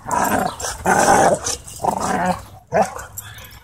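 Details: Dogs playing together at a dog park, giving four rough, throaty play growls in bursts roughly a second apart, each a loud swell that quickly fades.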